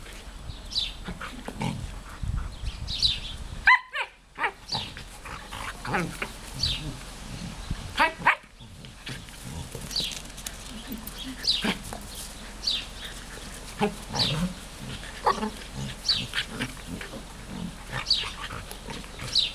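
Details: Smooth collie Juste and good old labrador Luna having fun together; a steady run of scattered yips, grunts and growly play noises throughout, with sharp louder bursts near four and eight seconds and rustling movement.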